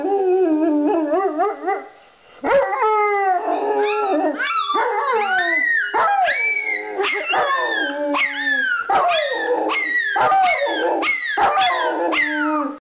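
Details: A pet Rottweiler and Pomeranian howl together at wolf howls played on a computer, the Rottweiler's voice deep and wavering, the Pomeranian's high and screechy.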